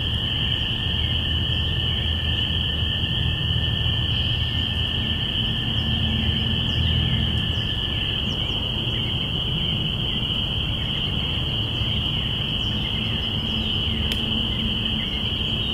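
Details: Binaural recording from April 5, 2017 of spring peepers marking the beginning of spring. A thick, steady ring of high peeps carries throughout, with a lower trilling voice fading after eight seconds and a persistent low rumble.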